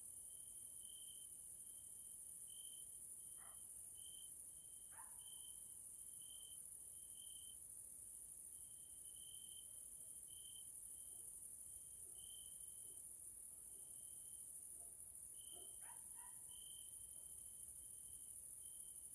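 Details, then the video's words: Grasshoppers heard in the evening in a Central European nature area in Hungary. A dense high hiss never stops, a lower tone pulses in short irregular beats, and a few faint brief chirps drop in around the middle and near the end. "grasshoppers sounds in nature area Hungary Central Europe"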